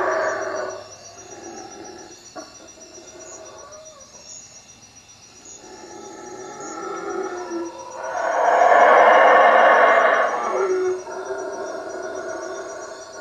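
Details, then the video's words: Howler monkeys in night treetops above a hut at Lake Peten Itza, Guatemala: quieter grumbling roars at first, then one loud hoarse howl swelling for about three seconds before fading. "Howler monkeys at night"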